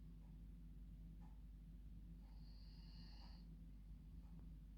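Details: Female dog asleep in her bed at bedtime, snoring like a human: soft snorting breaths with a thin, high whistling wheeze held for about a second midway, over a steady low indoor hum.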